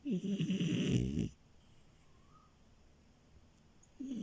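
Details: Milo, a French Bulldog puppy asleep on a bed, gives a short gurgling snore of just over a second, then a long quiet pause before the next rattling breath begins.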